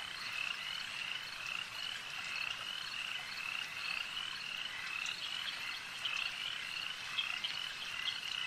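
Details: Lakeside frog chorus, many callers overlapping in an unbroken high trill that swells and fades slightly over several seconds, with occasional sharper clicks standing out from the mass.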